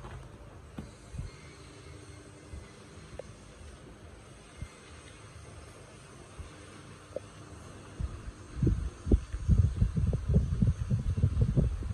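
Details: Low thumps and bumps from handling, growing busier toward the end, over a faint steady background hum, with no clear animal voice.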